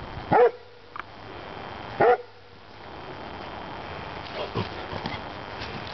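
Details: Backyard German Shorthaired Pointer mix barking at a stray birthday balloon, two sharp barks about two seconds apart followed by quieter background noise.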